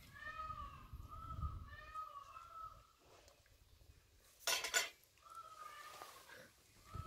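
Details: German Shepherd named Major at dinner indoors, being fed meat with rice and shredded vitamin pills; gives drawn-out, high, tonal whines that waver slightly, three long ones in a row, interrupted by a loud clatter of dishes before one more whine.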